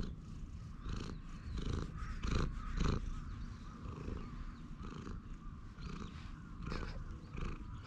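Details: Purring of a stray cat relaxing on a bench as it is petted, a low pulsing rumble with rhythmic swells roughly twice a second, louder around the middle, with some rustling of handling.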